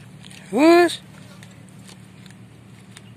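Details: Hungry stray cat fighting for food after snatching another cat's meal; one loud, short, harmonic-rich cry that rises sharply and then holds steady for about half a second, followed by a low steady hum and faint clicks.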